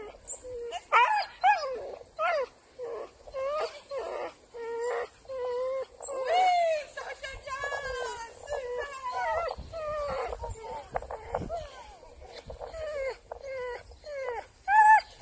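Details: Soft Coated Wheaten Terrier in France producing a long string of high, expressive whimpers and yowls, bending up and down in pitch, some drawn out, others clipped and quick.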